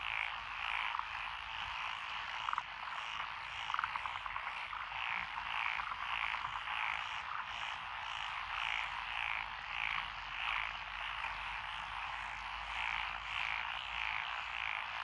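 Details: Rice paddy frogs, including Japanese tree frogs, Tokyo daruma pond frogs, wrinkled frogs, Schlegel's and forest green tree frogs, chorusing in Echizen, Fukui, June 2021; constant croaking backdrop with short clicking pulses and rhythmic calls repeating about every second.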